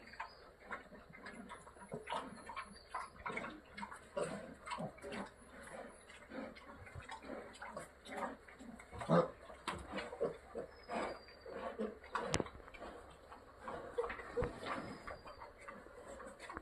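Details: Purebred Landrace sow on a farm feeding her healthy piglets, giving short grunts repeated in quick irregular bursts, with faint high ticking and a few thin whistling tones above.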